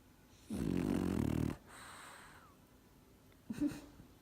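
A French Bulldog snores with a loud, rattling, low inhale, then a softer breathy exhale.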